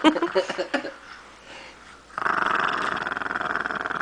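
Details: Pet dog angry after its bone was taken, a few snorts and grumbles followed by a sustained low, rough growl lasting about two seconds, with a person's voice mixed in.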